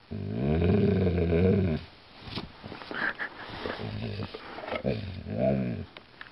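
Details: Low, rough, drawn-out grumble from an Alaskan Malamute indoors, one long bending moan followed by shorter throaty rumbles and a final rising-and-falling groan.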